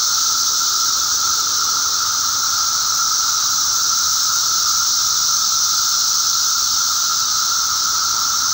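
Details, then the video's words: During a May 19, 2011 mass emergence in eastern North America, a periodical cicada (Magicicada) chorus drones without a break: one even, mid-pitched whine layered under a strong high-pitched hissing buzz. "Cicada hatch"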